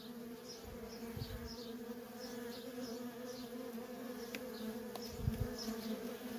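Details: Worker honey bees in nonstop traffic at a feral colony, a steady low droning hum with a second, higher tone layered above it. Faint high chirps flicker in the background and brief low thumps sound near one and five seconds.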